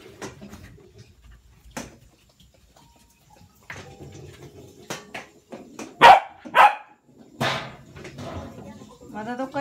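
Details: Corgi named Hina, a young pet indoors in a small room, barking while playing with a Wonder Ball toy: a few loud sharp barks near the middle, among clicks and thumps of play and a soft human voice.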